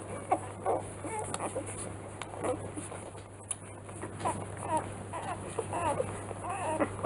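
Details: Three-day-old Rottweiler puppies from the B litter of Ziva van Angfiero, at Kennel Angfiero. They give scattered short, thin squeaks and whimpers at irregular intervals, over a steady low hum and soft indoor background.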